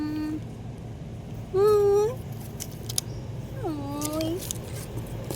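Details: Abandoned puppies left in a box: high, drawn-out whines with a slight rise at the end, three cries spaced over a few seconds, over steady traffic rumble and a voice in the background.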